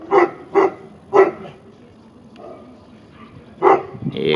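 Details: Tibetan Mastiff at a Russian kennel in St Petersburg, 2015, barking at its own reflection: four deep, harmonic barks in two quick pairs and then one more after a pause, with a woman speaking Russian nearby.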